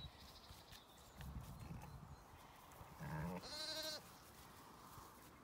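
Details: Zwartbles sheep, a ewe with her ewe lambs being put in with another ewe and her twins on a regenerative farm in County Kilkenny, Ireland; a short low bleat, then one loud, wavering, strongly harmonic bleat lasting about a second over trampling and rustling.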